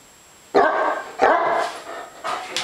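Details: Hungry pet dog named Nitro, told to speak while its food soaks indoors, gives two loud, sharp barks about half a second apart, then softer, shorter yelps, with a person talking around it.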